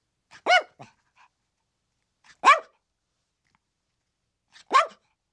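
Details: Three separate clear, ringing yips from a chihuahua, spaced about two seconds apart, each a short tonal yap that arches and falls, otherwise silent.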